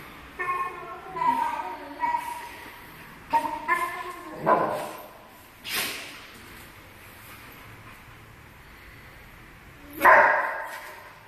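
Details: Iago, an American Staffordshire Terrier, making tonal whining yips in short bursts during the first five seconds and again near the end, with a person talking between the sounds.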